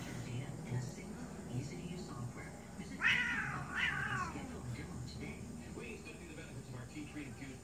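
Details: Angry domestic cat giving a harsh, wavering yowl around three seconds in, two rising-falling strained cries in quick succession, over a low steady background hum and faint room noise.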